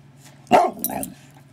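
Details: Pet dog barking or 'talking' to ask for a Ginger Snap treat: one sharp bark followed by a lower, drawn-out groaning vocal sound, with a steady low hum in the background.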